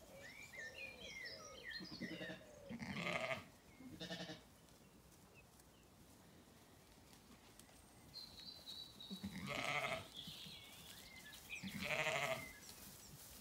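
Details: Zwartbles ewes on a County Kilkenny farm in Ireland call at feeding time in a sunny orchard before the apple blossom opens. Loud harmonic bleats come near three and four seconds, then again around ten and twelve, with birds chirping between them.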